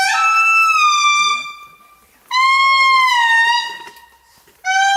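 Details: An Indri gives its morning calls in Andasibe-Mantadia National Park, Madagascar: long, loud, harmonic wails that slide gently downward, each held over a second.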